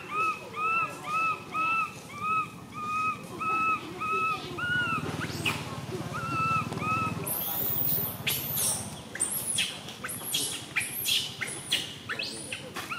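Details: Baby monkey MoMo, a tiny female, cries while falling down. Quick arched whistling wails repeat about twice a second, a low rumbling scuffle follows, then bursts of shrill, noisy screaming.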